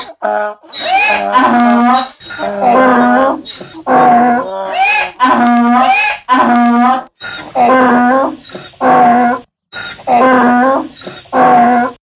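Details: Donkey braying, a sound made when angry or afraid: a long run of loud, harsh, harmonic see-sawing calls, about one per second, alternating rasping inhaled notes with deeper exhaled honks and brief gaps between phrases.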